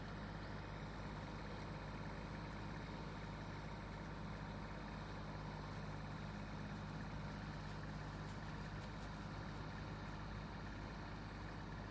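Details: Steady low engine rumble of an idling vehicle, with no birds or other animal sounds heard.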